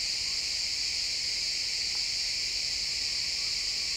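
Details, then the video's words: Crickets chirping in a pine forest at sunset, captured in real time with an XY stereo recording: a dense, steady, high-pitched shimmering chorus of many insects blending into one unbroken band with no separate pulses. "Cricket sounds in the pine forest"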